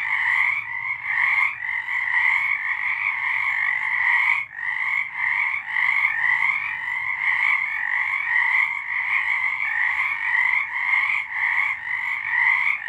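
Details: Singing frogs after dark in March 2023: many callers blend into a throbbing, rapidly pulsed chorus, the trills rising and falling in loudness with a short lull just past four seconds.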